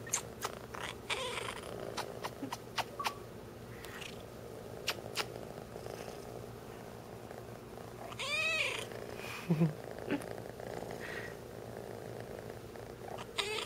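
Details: Ratchet, a roughly three-month-old kitten who loves to talk when happy, gives one clear rising-then-falling meow with rich harmonics midway, amid a purring background, scattered clicks and taps, and a second short call at the end.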